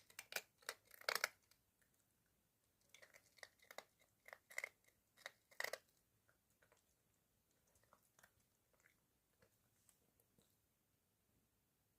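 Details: Crunchy chewing and biting sounds in a small indoor room, bursts of crunching and crinkling fading to quiet after about six seconds.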